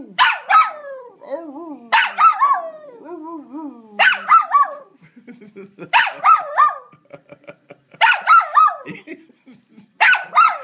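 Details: A ten-month-old puppy barks at the household Hoover vacuum. Sharp double barks repeat roughly every two seconds, with softer whines and a person's voice in the gaps between bursts.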